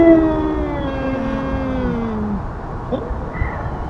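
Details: Tubs, a feral cat, confronting an intruding cat with a long descending yowl lasting over two seconds, followed by quieter faint sounds and background hum.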